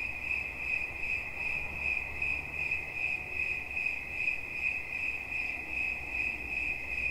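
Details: Cricket producing a bright, ringing chirp in even pulses, roughly two and a half per second, over a gentle low rumble.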